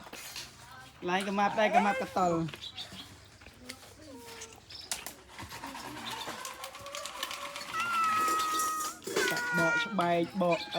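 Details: Abandoned cats meowing: a loud harmonic, wavering meow of about a second near the start, then fainter calls and a higher drawn-out tone toward the end, with people talking throughout.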